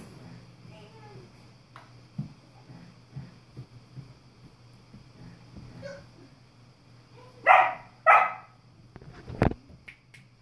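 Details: Play between a young German Shepherd puppy, 3.5 months old, and an older English Cream Golden Retriever, 4 years old: quiet shuffling and soft sounds, then two sharp barks in quick succession and a thump.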